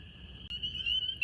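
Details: At a pond in the second week of February, about 70°F, a huge breeding chorus of male spring peepers (Pseudacris crucifer), with pairs in amplexus, makes countless high, piercing peeps blurring into one continuous shrill ring.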